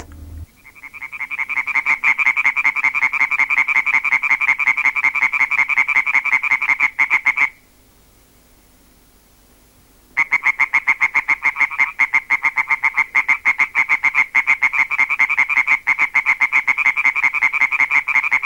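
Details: Two European tree frogs in a field recording give their rhythmic voice: fast, steady trains of loud, nasal, rattling croaks repeated several times per second, pausing briefly for about two seconds midway before resuming.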